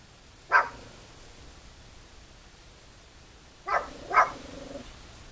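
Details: Dog guarding cows gives a single sharp bark, then after a pause two more in quick succession, short clipped barks over a steady high hiss.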